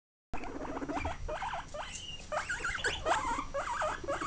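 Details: Guinea pig giving a steady series of short whistled squeaks, each sharply rising and hooked, repeated several times a second, over a soft rustling background.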